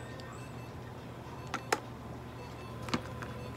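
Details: Quiet room with a low steady hum, faint background music and two short clicks; no animal voice heard.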